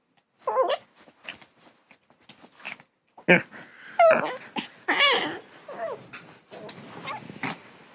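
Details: Long-haired Chihuahua puppy growling in a way likened to a hunting dog, a 'grrrrr' of rough, broken grumbles mixed with wavering whiny yelps, louder bursts after a few seconds, continuing in uneven bouts.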